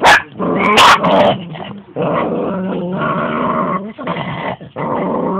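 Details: Two pet dogs in a fight over a big bone: a couple of loud barks open, then the bone-holding female growls in sustained, wavering, goat-like bursts to keep what's hers.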